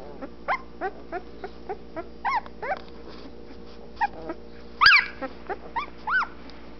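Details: Litter of twelve-day-old Anatolian Shepherd Dog puppies in a whelping box, eyes newly open: rapid series of high, arching whimpers and squeals, several pups overlapping, one sharp louder yelp near the end, constant faint hum behind.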